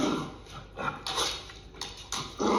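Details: An older dog and a puppy wrestle against a couch, the dog on top keeping its body sideways in play that is not too intense; short harsh growls and scuffling noises break out in several separate bursts.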